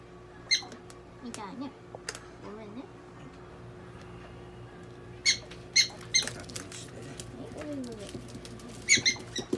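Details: Donguri, a pet prairie dog under veterinary care in Nagoya, makes clusters of short, shrill squeaks, several in quick succession near the middle and end, while soft human speech continues indoors.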